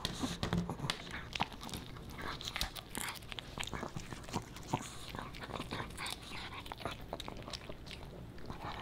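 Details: Crunching and chewing from Boba Bear the Pomeranian puppy as he eats fish and natural potato chips, dense bursts of brittle bites and smacking mouth clicks, steady and close, in a small quiet room.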